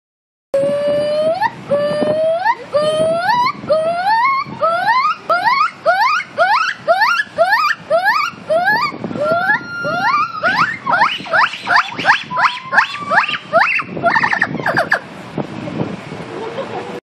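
A gibbon sings loud rising whoops that come faster and climb higher as the phrase builds.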